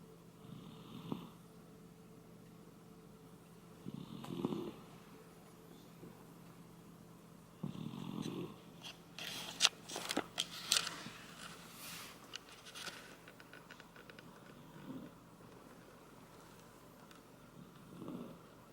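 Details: Koume, a Shiba Inu, snores while asleep indoors, a sound likened to a middle-aged man's snoring. Raspy, breathy snores come about every 3.5 seconds, with rustling and crackling in the middle.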